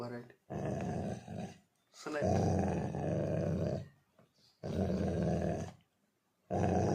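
A Labrador Retriever gives deep, rough growling grumbles in drawn-out bursts when angry.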